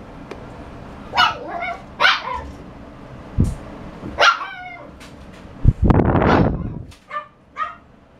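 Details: Shiba Inu giving a string of sharp, high yapping barks spaced about a second apart, with a brief whine between them and a few dull knocks in the background.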